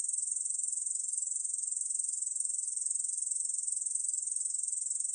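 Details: Korean bush cricket, recorded by the National Institute of Biological Resources in 2020, singing an unbroken high-pitched buzz made of rapid, even pulses.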